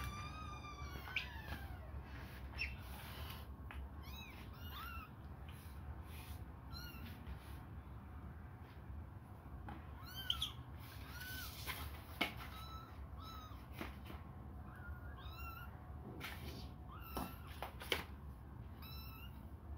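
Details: Hungry young kittens suckling a finger mew over and over, with high, arching cries coming every second or two, some overlapping, plus occasional sharp clicks against a low background hum.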